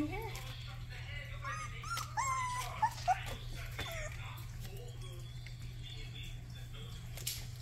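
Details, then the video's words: Young Rottweiler puppy during its first barks: a few thin, high whimpering yips cluster early on, then fade, while people talk quietly in a small room with a steady low hum. "first barks"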